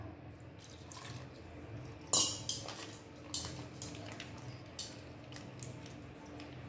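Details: Quiet indoor kitchen sounds, with clinking dishes and cutlery, soft wet squishing and a low steady hum.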